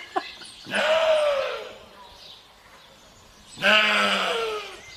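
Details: Goat giving two long, harsh, nasal bleats, each lasting about a second and wavering slightly in pitch, about three seconds apart, with quiet low background noise between them.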